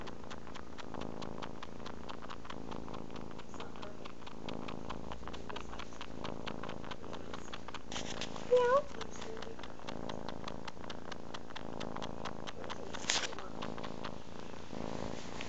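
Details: Tortoiseshell kitten Chelsea nursing from her adoptive mother; a continuous low purr with regular pulsing throbs the whole way through, broken near the middle by a brief, faint rising mew, with light handling noise and a soft bump near the end.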